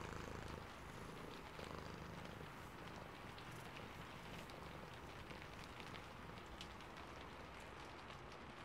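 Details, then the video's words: Low, vibrating purr from a sleepy cat, pulsing evenly beneath heavy rain, with crisp raindrop taps and a constant rushing hiss over the top. "Sleepy Cat + Purring and Rain Sounds ASMR"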